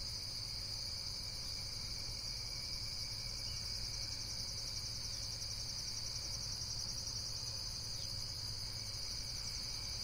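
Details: Insects keep up a constant high, pulsing buzz for about ten seconds, one layer briefly shifting in pitch near the end, above a low background rumble.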